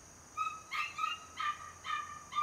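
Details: A 77-day-old home-raised Border Collie puppy, third in its litter, lets out high, nasal whines at regular short intervals, each a thin piping note with faint overtones, during a quiet indoor moment.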